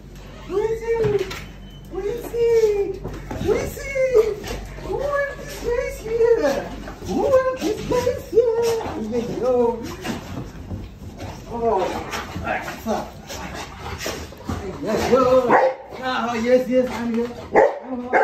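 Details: Rottweilers kept as pets greet their owner returning home from the grocery store indoors: high, arching whines and cries repeated about once a second in long runs, over a man's voice repeatedly calling and praising the dog.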